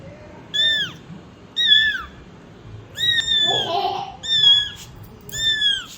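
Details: Mother cat with her kittens; clear, piercing meows that rise slightly and then drop, repeated about once a second, with a soft rustle partway through.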